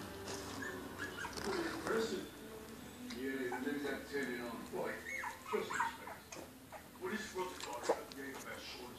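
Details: A litter of ten 4-week-old miniature schnauzer puppies, among the biggest of the breed born in Europe, gives high whining whimpers and squeaks in overlapping bursts, with a low rumble underneath.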